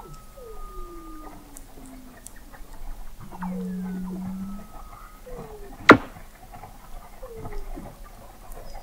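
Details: Weddell seals calling beneath thick sea ice in McMurdo Sound, Antarctica, captured in November 2017 by the McMurdo Oceanographic Observatory 21 m below the ice: overlapping descending whistled glides, a low steady buzzy tone, and a sharp click burst.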